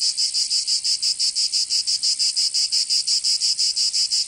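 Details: Cicadas singing in summer in Provence, southern France: a loud, dense, high buzzing band pulsing rapidly in a steady rhythm, about three pulses per second, with no other sounds.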